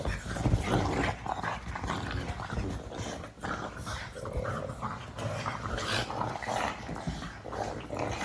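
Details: Pug making funny noises, a continuous run of rough grunting and snorting sounds with growl-like rumbles and nasal whimpers, fairly steady in loudness across the whole stretch, recorded indoors.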